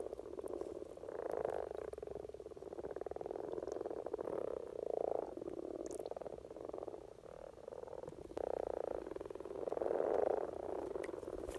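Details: Common frogs gathered for spring courtship in Norway, a steady murmuring chorus of low, rattling croaks, with individual purring bursts rising above the drone every second or so and the loudest one near the end.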